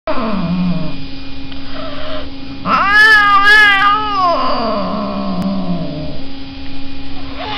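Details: Cat at the Waha Al-Reem cattery, giving a loud, drawn-out wavering meow in the middle, with lower moaning wails before and after over a steady electrical hum.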